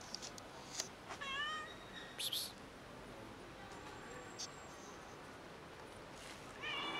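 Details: Stray cat family in a neighbourhood, fed every day by locals; a few short meows near the start and a fainter one at the end, with clicks, rustling and a quiet stretch between.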